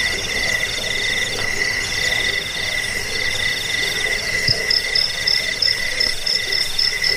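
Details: Crickets chirping, offered as a sound for repelling rats, lulling to sleep and tutoring songbirds: steady pulsed trains of high chirps overlap, with a shriller, faster-pulsing caller joining in the second half.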